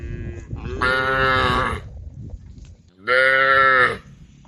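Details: Two loud, bright moos, each nearly a second long and a couple of seconds apart, from cows on the road by the forest calling the herd.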